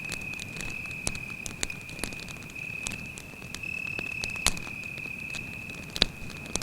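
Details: Cricket singing by a campfire in a forest at night, a smooth, continuous high trill with scattered sharp pops and snaps from the fire breaking through every second or two.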